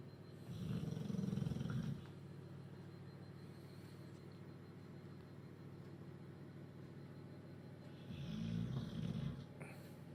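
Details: Duke the bulldog snoring while asleep after a chicken curry, Huddersfield; two loud, deep rumbling snores of about one and a half seconds each, one near the start and one near the end, with a quiet steady hum between them.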